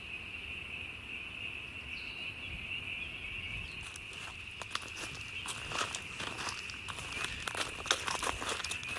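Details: Spring peepers, tiny frogs, calling in spring as a continuous shrill, high ringing chorus; from midway, crunching footsteps and rustling through vegetation grow loud over the steady peeping.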